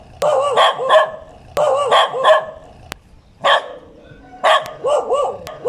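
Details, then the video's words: Barking dog in clusters of two or three harsh, harmonic barks, with short quiet gaps between bursts and a few sharp clicks. "เสียงหมาเห่า ถ่ายหมาเห่า"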